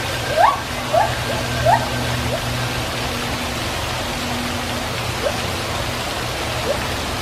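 A gibbon gives three quick rising whoops in the first two seconds, then a few fainter ones, over a steady rushing background like running water.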